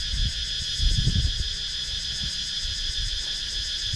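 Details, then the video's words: Steady, shimmering high drone of cicadas in the wooded countryside of Sakon Nakhon, Thailand, filmed with a GoPro Hero 9, its upper edge pulsing rapidly, over low rumbling thumps and handling noise. "Cicadas Sound"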